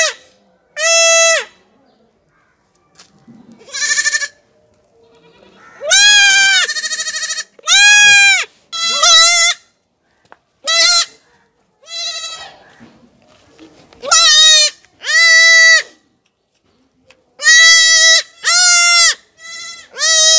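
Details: Goat kid crying out during castration, with repeated loud quavering bleats, often in pairs, broken by rustling and handling sounds and a few quiet pauses.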